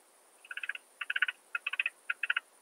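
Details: Alpine saw bush-cricket singing in Brixen, Italy, 11 September 2022, made audible with a Pettersson D 100 ultrasound detector: four short groups of four or five quick clicky pulses, each group about half a second apart.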